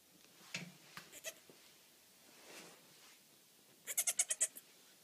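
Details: Three-day-old Nigerian Dwarf buckling, a disabled kid with bent legs, one of quadruplets, bleating while trying to stand; two quick early calls, then a rapid train of six or seven short, pulsing, quavering notes near the end.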